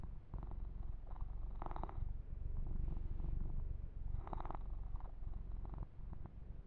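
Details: Low rhythmic purring from the kitten Yumak during a gentle massage, with soft brushing sounds of fur grooming rising twice over the constant rumble.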